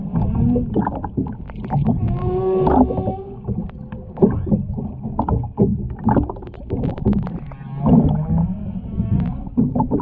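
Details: Humpback whale singer heard underwater at the Ogasawara Islands, Japan, 23 February 2021, where a mother, calf and escort were filmed; layered low groans, brief tonal moans and grunts mixed with constant clicking and splashy water sounds.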